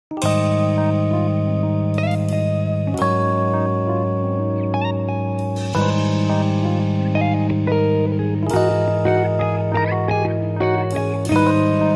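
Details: Plucked and slide guitar music plays steadily with layered sustained notes and no animal sound.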